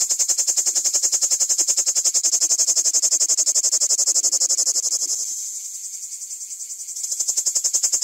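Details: Plebeian cicada (Lyristes plebejus) song recorded at very close range: a loud, steady, high-pitched buzzing rattle made of rapid pulses.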